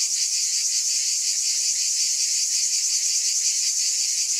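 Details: Brief stretch of loud, high cicada buzzing, a dense shimmering hiss with a slight throb, steady from start to end.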